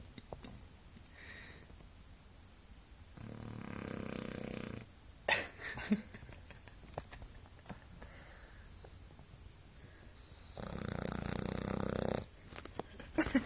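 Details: A 1-year-old French Bulldog snores loudly, with long rasping breaths separated by quiet pauses.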